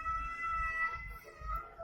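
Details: Domestic cat during a cat fight, giving a long, steady, tonal yowl that holds one pitch with strong overtones, wavering slightly, over a low rumbling background.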